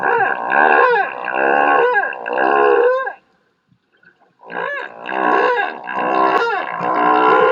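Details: A humpback whale sings in Monterey Bay, California, with long, sweeping moans and cries rising and falling in pitch with rich overtones; song units include moans, cries and possibly shrieks and grunts, with some parts repeated.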